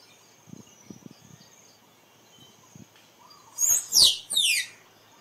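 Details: Squirrel calling in a burst of three loud, high, falling squeaks in quick succession, following soft ticking sounds and a faint steady insect hum.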